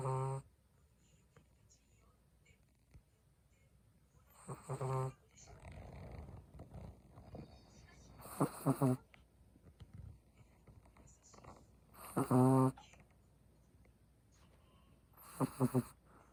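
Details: A Chihuahua snores in its sleep, sending out short, loud, rasping nasal snorts roughly every four seconds. Each burst is buzzy and rich in overtones, with soft breathing and quiet room noise in the gaps.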